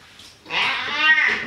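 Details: House cat getting washed in the bathroom gives one clear, sustained meow lasting about a second. The call is steady in pitch and ends in a slight downward slide, with faint room noise around it.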